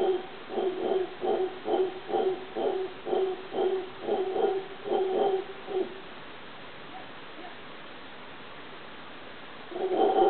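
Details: Howler monkey in Cahuita, Costa Rica, giving a steady series of throaty pulsed howls for about six seconds, then silence before the calling resumes briefly at the end.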